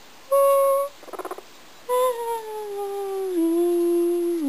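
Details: Kadoc, a pet guinea pig, 'singing': steady held tones with harmonics, a quick burst of pulsed stuttering notes, then a long tone sliding gradually downward.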